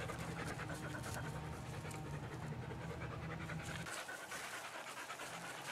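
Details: Australian Cattle Dogs, three females, panting in the backyard in lovely weather: breathy rhythmic gasps carried over a low droning hum that cuts out partway, after which the panting continues alone.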